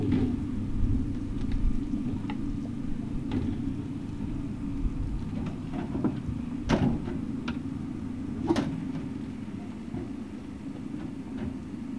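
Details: Low rumbling vehicle noise with a few door-like knocks and clicks, no animal voice heard.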